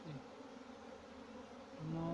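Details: Honey bees kept on a farm in Pakistan hum in a continuous low drone. Near the end, a louder tonal sound with several steady pitches, like a voice or motor, rises over the buzz.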